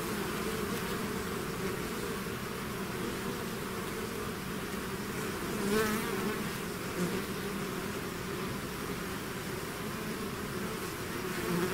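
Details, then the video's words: Bee swarm out of its hive, a dense steady buzzing drone with layered hum bands in the low and middle range, a few brief louder passes of single bees near the middle. "bees therapy swarm natural buzzing sound"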